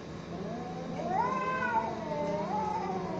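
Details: Domestic cat during a fight, giving a drawn-out wavering yowl that rises around the middle and dips and swells again toward the end, with a steady low hum underneath.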